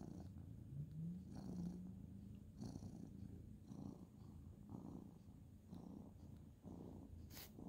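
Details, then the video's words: Male ginger tabby cat purring as he is petted at bedtime on the end of a bed; continuous deep low rumble pulsing with each breath, quiet and close, with faint rustling. "cute ginger tabby cat petting purring"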